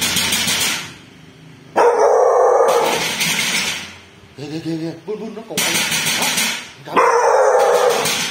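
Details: Domestic dog barking at a thief at a home in Vietnam: harsh, loud barks in two long runs of rapid repeated bursts, separated by a short gap with a person's voice.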